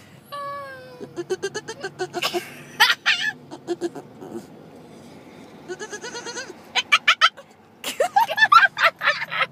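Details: A year-and-a-half-old male Boston Terrier gives quavering, bleat-like whines, likened to a goat or dolphin, excited at spotting a dog across the street he wants to play with.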